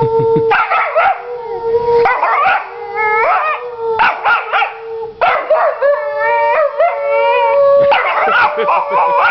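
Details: Vizsla puppy Honey, a young female, answers back in bursts of mouthy, yodelling howls separated by brief pauses, a steady mid-pitched hum under several phrases, roughly four or five vocal bouts.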